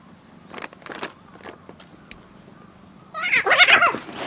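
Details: Cats in a village on Japan's Cat Island, a large swarm gathering from all directions for food, some fighting as they are fed; soft taps and rustles, then a loud burst of overlapping, harmonic meows in the final second.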